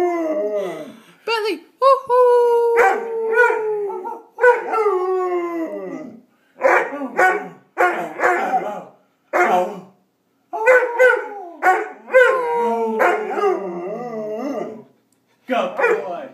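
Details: Six-month-old Greater Swiss Mountain Dog named Bentley beginning to howl, coaxed toward howling on command; drawn-out falling howls mixed with sharp barks and yelps, coming in irregular bursts separated by short silences.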